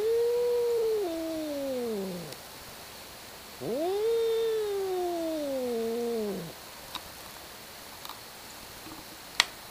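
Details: Cats in a fight, hollering at one another. Two long, descending yowls of two to three seconds each, then quiet with a few faint clicks.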